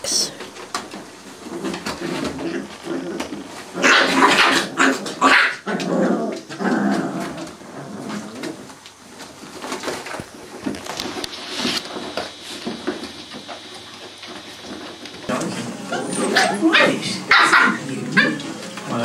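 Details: Playing Cardigan Welsh Corgi puppies, seven weeks old, trade rough little growls and sharp yips in clustered bursts, loudest around the middle and end, over scuffling, thumps and some talking in a small room.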